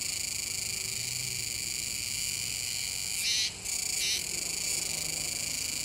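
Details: On Tanegashima near the mouth of the Kōme River in Nishinoomote, 7 September 2022, Kuroiwa's cicadas keep up a continuous shrill buzz, broken late by a short louder surge, a momentary gap, then another swell.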